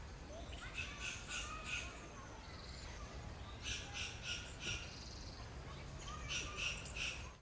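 A western gray squirrel gives harsh, raspy barks in short runs of three or four.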